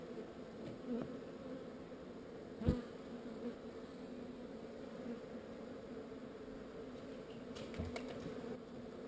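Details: Relocated honey bee swarm giving a continuous soft, low hum with a clear fundamental and overtone. One sharp knock falls near the third second, and faint ticks come later.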